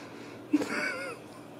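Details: Ragdoll kitten raised in a home cattery in central Kansas without cages: a brief click, then one short meow of about half a second with a gently arched, harmonic-rich contour, set against a quiet indoor background with faint low hum.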